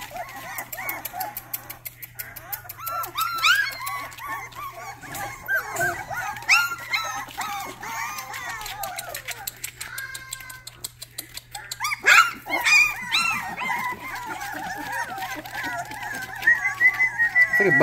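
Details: Young Rottweiler puppies, a litter described as a bunch of minions, trying out their first barks. Thin, high-pitched yelps and whimpers tumble over one another in irregular runs, with background music and laughter.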